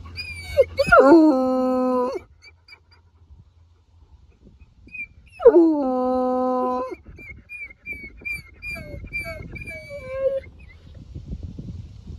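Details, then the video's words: Male Bluetick Coonhound howling in victory on a mountain top after a hike: two long, rich, steady bays about four seconds apart, each opening with a sharp falling onset, followed by quiet whimpering squeaks and light wind. "Coonhound Howling on a Mountain"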